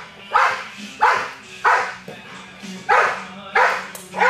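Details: During Schutzhund protection work on 10-7-11, a 21-month-old American Bulldog lets out six heavy, rough barks spaced roughly two-thirds of a second apart, with quiet background music underneath.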